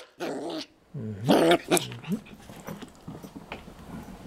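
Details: Maxwell, an 11-week-old Yorkshire Terrier/Poodle mix puppy, indoors while pouncing on an ice cube; two short, throaty voiced bursts with wavering pitch in the first second and a half, then faint clicks and rustling.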